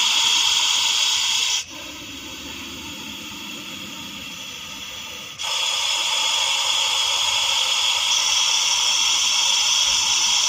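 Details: Hissing Russell's viper in Vapi city, a long, harsh, continuous hiss that drops to a softer exhalation for about four seconds midway, then returns at full strength to the end.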